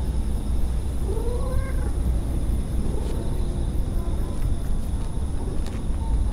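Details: Purring stray cat gives a single rising-then-falling meow early on, followed by several seconds of steady low purring.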